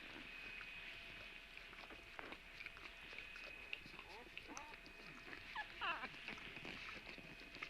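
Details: Puppies recorded on Tuesday, March 17, giving overlapping high, squeaky whines that bend up and down, with a denser burst of wavering cries near the end over a steady background hiss.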